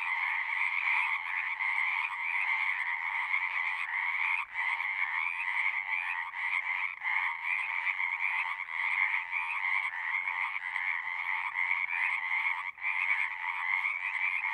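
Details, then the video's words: Frogs at a pasture pond, recorded with a Zoom device: a loud, pulsing mass of trilled croaks holding steady, with brief sudden dips near four and a half and thirteen seconds as the chorus momentarily falters. "Frogs singing"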